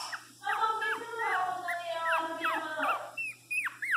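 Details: Pinscher crying loudly while being given flea medicine, a sustained wavering whine with overlapping high yelps, then short sharp cries repeated near the end amid steady background hum.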